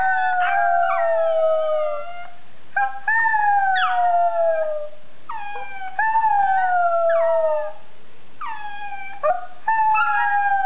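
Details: Pet pug dog 'singing': a run of long wavering howls, each sliding down from a higher start, broken by short gaps and repeated about every two to three seconds, with rich ringing overtones.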